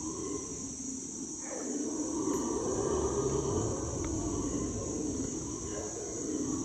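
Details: Howler monkeys calling in the Ecuadorian Amazon rainforest, heard from a canoe: a low, rolling roar rises, then eases, with overlapping moaning voices and a steady high-pitched insect hum throughout.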